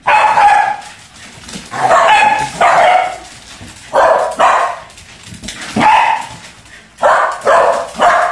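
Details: Waffles and Scotch, Pembroke Welsh Corgis at play with a balloon, bark loudly and repeatedly, about eight to ten sharp yapping barks in quick pairs and bursts with brief pauses between.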